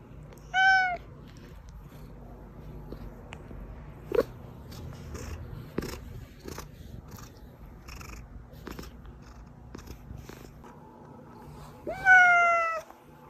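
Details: Pet cat meowing, a sound played to call hiding cats out: two clear drawn-out meows, one near the start and a louder rising one near the end, separated by scattered clicks and small household noises.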